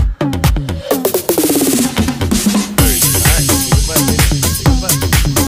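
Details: Loud electronic dance music with a driving beat of about 128 pulses per minute and a sweeping synth line, and no animal sound.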